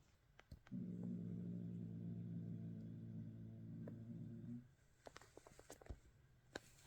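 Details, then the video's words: Domestic cat growling: a steady low rumbling growl lasting nearly four seconds with dense harmonics, followed by scattered clicks and soft knocks. "cat growling"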